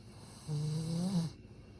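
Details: Sleeping Satsuma beagle snoring, described as very restrained today: a single low, droning snore lasting under a second, with a steady buzzing tone and faint overtones, then quiet room hiss.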